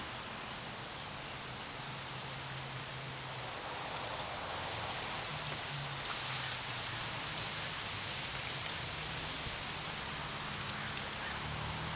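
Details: Steady hissing rain-like noise with low rumbling underneath throughout, and no animal voice heard.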